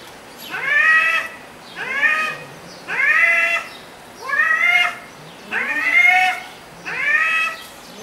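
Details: Cat talking during an argument: six short, upward-bending meows repeated roughly every second and a quarter, steady and insistent, over a faint background hiss.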